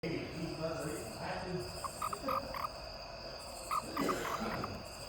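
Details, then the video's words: A toad making an unexplained noise: short clicky tonal notes in quick bursts of three to four, repeated a few times, over a steady background hiss and hum. "anyone know why this toad was making this noise?"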